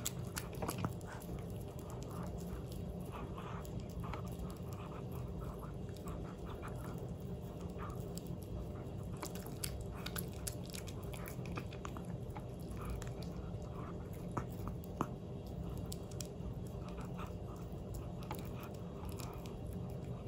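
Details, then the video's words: Pomeranian dog eating a Dentastix dental treat indoors: steady crunching and gnawing clicks throughout, dense and continuous with no vocal sounds, recorded close up. "Cute Pomeranian Dog Eating Dentalstix"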